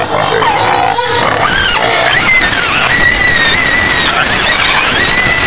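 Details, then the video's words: White pig screaming in its pen on the outskirts of Medan, Indonesia, asking for food: loud, continuous high shrill squeals with wavering, overlapping tones, a woman's voice and faint music mixed in. "SUARA BABI PUTIH MENJERIT JERIT DI KANDANG"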